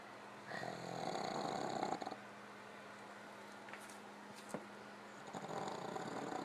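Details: Sleeping pug Gypsy, tired after a visit to family, snores beside fellow pug Otto, who lifts his head; rough, rhythmic rattling breaths in a sustained burst of about one and a half seconds, a lull with small clicks, then snoring resumes.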